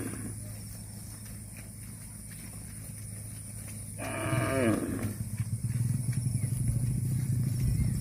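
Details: Cow eating grass gives a single loud, harmonic moo that bends downward and lasts about a second, followed by steady low rumbling noise and a constant hum.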